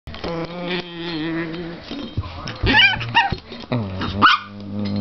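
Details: Chihuahua, a pet female dog, growling playfully and pretending to be vicious as a hand slowly approaches her; tonal, wavering growl-whines with rising and falling pitch, broken by short sharp bursts.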